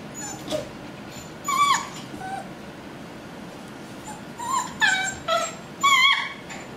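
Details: Puppies named Mia whimpering and yipping: short high whines that rise and fall, coming in scattered bursts, with several louder overlapping cries toward the end.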